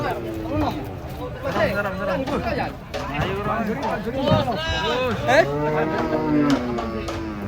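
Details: Cattle being unloaded from a truck, thin and struggling to stand; drawn-out lowing rises through a crowd of chattering people, with a steady engine rumble underneath.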